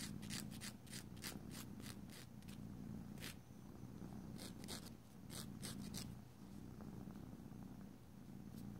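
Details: Indoor domestic cat purring during nail filing; deep, even purr swelling and easing with each breath, accompanied by repeated sharp rasping file strokes, especially in the first half and middle.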